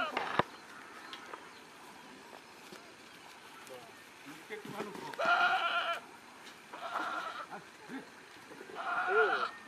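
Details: Farm goats in Nagaon district, Assam, India, give three loud, harsh, nasal bleats about two seconds apart, each lasting under a second. Human speech and handling noises run between them.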